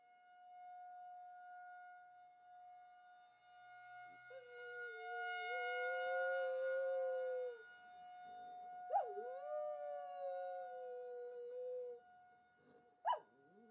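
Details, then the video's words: Domestic dog answering a monthly tornado siren test with howls: a long sustained wail held for about three seconds, a second beginning with a sharp upward yip then settling into a long even tone, and a brief final yip, siren humming steadily throughout. "Dog Howls at Tornado Siren"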